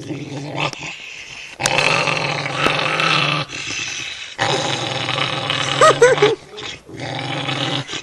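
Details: Female dog growling while protecting her bone as a person reaches for it, with rough low rumbling growls in long bursts, a few brief whines, and a person talking softly.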